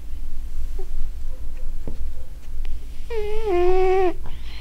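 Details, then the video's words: Sleeping domestic cat snoring, one drawn-out tonal, nasal wheeze lasting about a second with rich harmonics, steady then slightly falling, preceded by faint low room rumble and soft clicks. "Snoring Cat"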